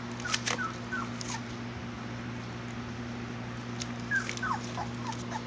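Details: Playing Labrador Retriever puppies, three weeks old, let out scattered short squeaks that drop in pitch, a few soft knocks and rustles between them, with a constant low hum underneath.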